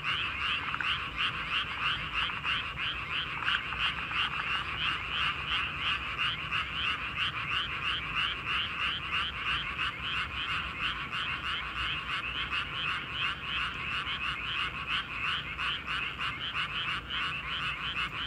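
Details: Frog chorus at night in a paddy field: a dense, continuous mass of rapid croaking pulses, many callers overlapping at a steady fast rate, forming an unbroken rattling drone throughout.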